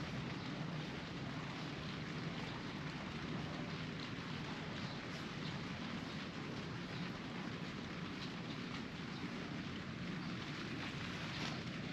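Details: Steady rain pours without pause, a dense hiss over a low rumbling background, with no animal calls.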